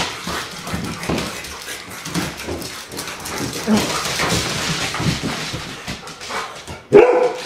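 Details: Irish Setter barking with a steady, noisy run of harsh barks mixed with human speech, ending on one sudden loud bark.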